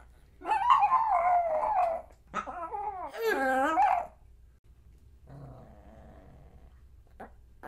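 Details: Pomeranian dog growling and barking in two long, rough, wavering bursts, then falling quiet apart from a soft rumble and one faint final yap over a low background hum.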